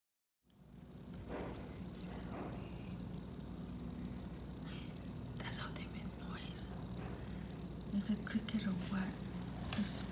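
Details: An insect the recordist says is not a cricket, though it sounds chirp-like, keeps up a steady, piercing high-pitched ringing trill that never breaks.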